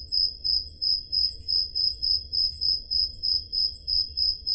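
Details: Peloponnese crickets on a Greek summer night, Zoom H5 portable recorder: a rhythmic high-pitched chirp pulsing roughly three times each second, clear and dominant, with a low steady background hum.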